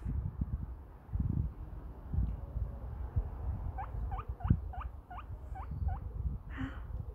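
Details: A little guinea pig wheeking: a quick run of about eight short, squeaky whistles, each sweeping upward, spaced roughly a third of a second apart, following low thumps and rustling.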